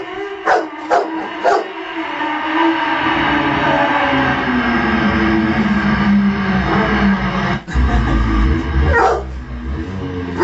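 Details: Female Rottweiler howling in response to a revving motorbike: a long, sustained, wavering howl that slowly rises and falls, set over a steady low engine rumble, with a few short sharp sounds near the start.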